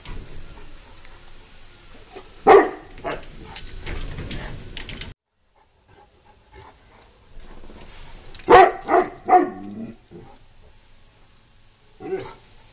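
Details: Caged Bully Kutta barking in short bursts, a single loud bark followed by a quick cluster of three or four barks some seconds later, with low background hum between.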